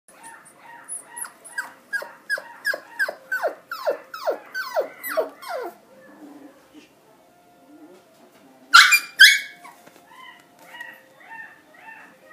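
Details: Shiba Inu dog giving a run of about a dozen rapid, falling whiny yelps over five seconds, then a pause with two sharp loud high squeals near the end followed by softer repeated whimpers.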